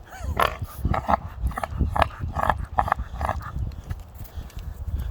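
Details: Pet American Pit Bull Terrier named Rock, mistaken by a passerby for a pig, giving a rapid run of low, rough, pig-like grunts and snorts, several per second, with faint background noise.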